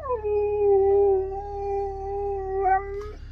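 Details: Husky howling at a friend's birthday: one long, steady, tonal howl that slides down at the start, holds level with rich overtones for about three seconds, then lifts slightly and breaks off near the end.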